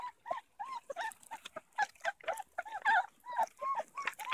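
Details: Beauceron puppies meeting Manchester Terrier puppies for the first time give a busy chorus of squeaky, arched whines and yelps. The calls overlap rapidly, several each second, with brief gaps between bursts.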